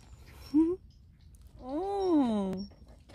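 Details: Friendly street cat near a workplace, showing its belly to be stroked, gives a brief upward chirp-meow followed by a long arching meow that rises and then falls, with faint low background noise.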